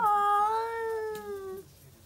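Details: At midnight two rival stray cats, tabby among them, face off; one holds a steady, drawn-out moaning yowl, rich in harmonics and slightly rising, fading after about one and a half seconds into quiet room tone.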